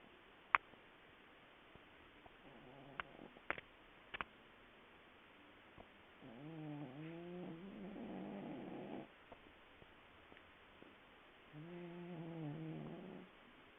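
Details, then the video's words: Sleeping domestic cat snoring deeply indoors: a few faint clicks, then two long, low, buzzy snores with a wavering pitch, about five seconds apart, in a quiet room. "Snoring Cat"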